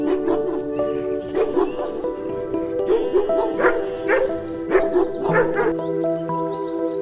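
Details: Dog barking in short, sharp bursts, irregular clusters of barks over about seven seconds, set against continuous music.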